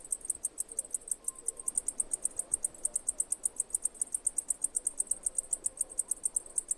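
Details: Injured cicada from Greek fauna producing a steady train of high, dry clicking pulses, about five or six each second, evenly spaced, with little else heard.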